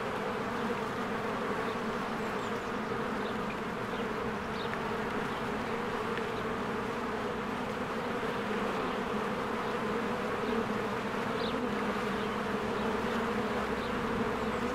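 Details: Spring beehive with swarms of honeybees flying in and out of the hive; continuous droning hum of countless bees, even in loudness, with faint brief high bird notes scattered above.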